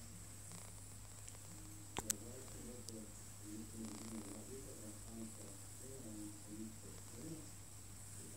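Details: OkiOki, a cat being groomed indoors and not too pleased about it, gives a low, pulsing, rumbling purr that throbs steadily through most of the recording after a couple of sharp clicks near the start.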